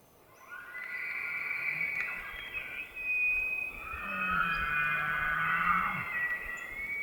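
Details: Elk bugling in rutting season in the White Mountains of Arizona: a long, high whistled squeal that rises, then wavers and holds, layered over a low grunting undertone midway through, with outdoor ambience.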